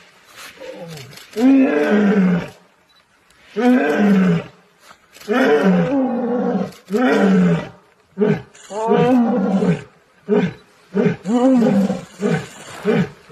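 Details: Asiatic lion and lioness roaring together in the Gir forest after a quarrel, the lioness appeasing the sulking lion; a series of deep, rough, harmonic bursts, each about a second long, with short gaps, growing shorter toward the end.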